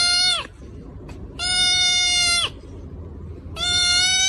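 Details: Domestic cat giving three long, loud meows, each about a second long, held at a steady pitch with rich harmonics and a brief downward drop at the end, separated by quiet pauses.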